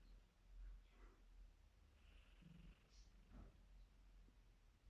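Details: Female kitten asleep and snoring indoors; soft, low rumbling breaths hum steadily near the bottom of the range, with faint brief rasps over about five seconds in a quiet room.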